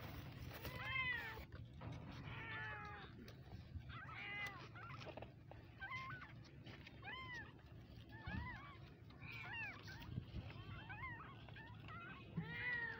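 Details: Cute kittens give a steady series of short, high, arched mews about one per second across the whole stretch, over a noticeable low rumbling background.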